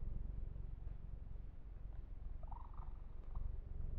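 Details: Steady low purr from the kitten Yumak being massaged, a continuous fluttering rumble with faint soft handling noise midway.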